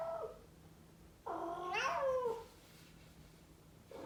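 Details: A Norwegian Forest cat named Toby, eager to go outside and play in the spring sunshine, gives a long, drawn-out meow that swells and then slides downward, with a shorter call before it and another starting at the end.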